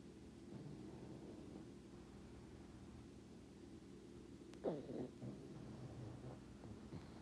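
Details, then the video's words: A pug dreaming while asleep indoors, breathing with low, steady snoring, then one short muffled bark or yelp about two-thirds of the way through, followed by a few soft huffs. "Pug having a dream snoring and barking"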